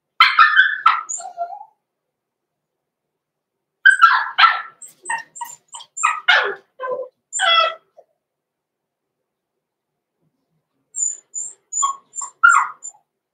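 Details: Six-week-old blenheim Cavalier King Charles Spaniel puppies, born November 14, 2022, in an indoor puppy pen. They give shrill, high yips and sharp barks in a rapid burst, pause for several seconds, then break into another run of short yaps with thin squeaks.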